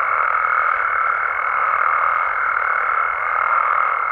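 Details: Nighttime frog and toad chorus from Mexico, a thick continuous churring mass of overlapping calls with a steady high whistled tone running through the whole stretch.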